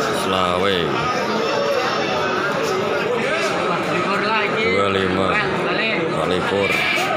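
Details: Male goats gathered for Qurban sale at Bangsri animal market in Jepara, Indonesia, bleating in wavering, quavering calls amid constant loud crowd chatter and market noise.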